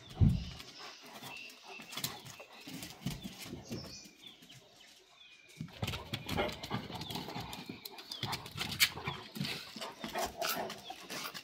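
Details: Gaddi sheep dog of the Himalaya against a Tibetan Mastiff: dense, noisy stretch of overlapping rough barks and growls, a brief lull midway, then a busier burst of scrappy vocal noise.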